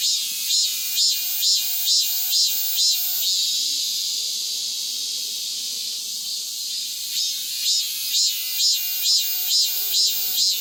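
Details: Cicadas singing vigorously after the rainy season has passed: loud, hissing high buzz pulsing in regular bursts about twice a second, merging into a steady continuous drone midway before the pulsing returns.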